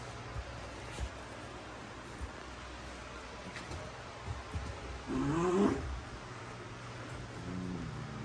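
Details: Female Basenji Prisca acting tough with her wild-dog-style squealing toward Dabi; one bending, wavering squeal rises and falls mid-clip, followed later by a softer harmonic whine, with a low hum and faint knocks throughout.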